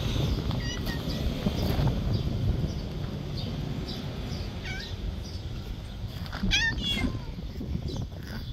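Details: Loud orange domestic cat meowing outdoors: two short harmonic meows, rising then falling, come late in the sequence, the second stronger. Constant low rumbling background noise and some human speech run underneath.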